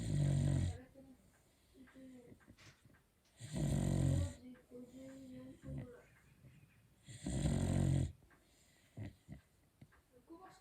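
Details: Sleeping Beagle snoring loudly indoors: three deep, rasping inhalation snores, each lasting under a second, about every three and a half seconds, with quiet breathing and faint small sounds between them.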